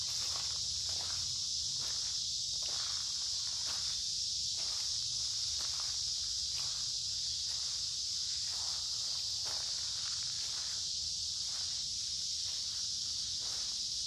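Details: Noisy cicadas sing in a creekside forest in midsummer on a warm, humid day, making an unbroken, high, hissing drone. Steady walking footsteps crunch on leaves beneath the buzzing.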